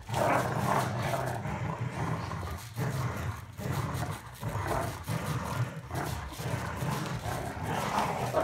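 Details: Golden Retriever Winston tugs against Roscoe, growling in a gravelly, sustained, low rumble with small surges throughout. Praise is spoken at the end.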